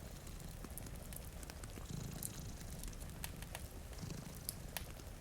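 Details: Sleeping cat, one of two dozing by a rain-streaked window, purrs in a soft, low continuous rumble with gentle rhythmic swells; crackling fire snaps and rain hiss run underneath.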